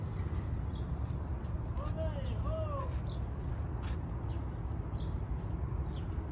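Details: Stray street cat waiting to be petted gives two short arched meows, each rising then falling over about half a second, close together, above a steady low rumble of outdoor background noise with faint distant chirps.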